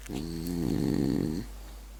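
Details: Sleeping French bulldog giving a single drawn-out snore of about a second and a half, a low rattling drone that swells slightly in the middle, in a quiet indoor room.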